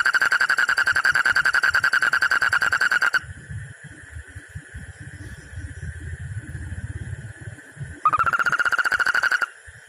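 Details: After the rains, frogs compete to croak the loudest: loud, rapid, rattling croaks come in two bursts, with a low rumble between them.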